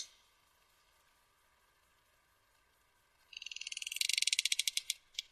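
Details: Sperm whale coda clicks recorded off Dominica, used in echolocation and to signal clan identity. Quiet here, though they can exceed 200 dB up close. After a hushed start comes a rapid, accelerating train of sharp, crisp clicks lasting about two seconds.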